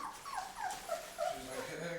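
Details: Labrador retriever puppies, 23 days old, eating puppy food for the first time with their mother nearby. Faint, short high whimpers come roughly every third of a second over a noisy background.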